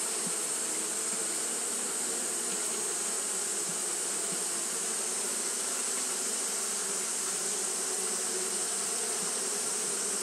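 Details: Japanese honey bees fanning nonstop on a hot day, a dense continuous buzzing drone with low hum bands and a steady bright high hiss, unbroken for the whole stretch.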